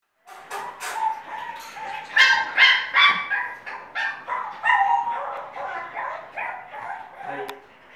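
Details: English Bulldog puppy during a photo shoot showing attitude, giving a series of loud, harmonic yips, whines and grumbling barks, roughly two or three per second and irregular, with some speech mixed in.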